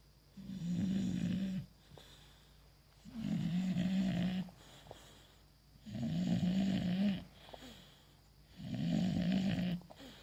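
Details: English Bulldog named Bogui asleep with a ball as a pacifier, snoring: four long low rumbling snores, each about a second and a half, repeating every two and a half seconds with quiet pauses between, indoors.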